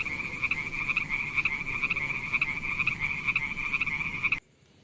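A frog gives a high, continuous buzzing trill that swells in quick beats, then stops abruptly.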